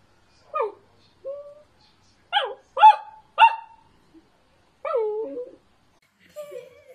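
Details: Naughty, playful Dachshund barks in a rapid, uneven series of seven short, sharp yapping barks over seven seconds, some falling in pitch, mixed with brief whining notes, against near silence.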